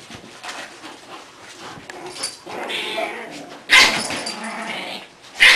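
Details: Four English Bulldog puppies playing and fighting, refereed by adult bulldog Kona, give sharp, raspy yaps and whines in short, uneven bursts.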